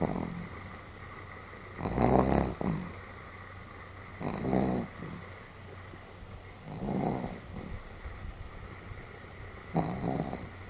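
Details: Fairly hearty snoring from Sam, a pet Pomeranian: four breathy, rattling snores spaced about two and a half seconds apart, each with a short wheezy tail, over a steady low room hum.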